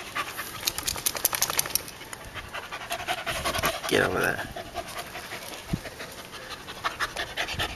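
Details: Eve, a female dog of unknown breed, in a yard in Guam while meeting a coconut crab: rapid, breathy panting puffs in quick irregular succession, with a brief tonal voice rising around the middle.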